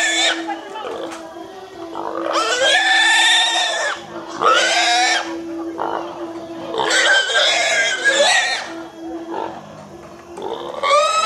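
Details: In a village, a domestic pig gives loud, shrill, human-like screams in repeated harsh bursts.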